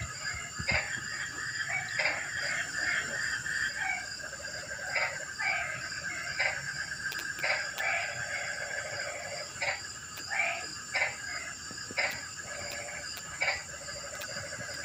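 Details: Rainy-night frog chorus livening up a quiet evening: irregular bursts of coarse croaks overlap from several frogs, while a thin, unbroken insect buzz runs high above.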